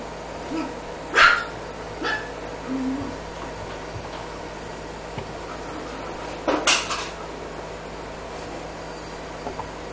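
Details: Female black-and-tan Miniature Pinscher puppy, born 27 May 2015 and 54 days old on 20 July, indoors in Osaka: two sharp, short high yips about five seconds apart, plus a few softer sounds, over a steady low hum.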